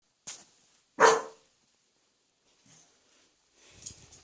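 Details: Pet Welsh Corgi that barks boldly when family members are close by, being trained to bark more softly: one loud, sharp bark stands out, with a faint short bark just before and quiet rustling afterwards.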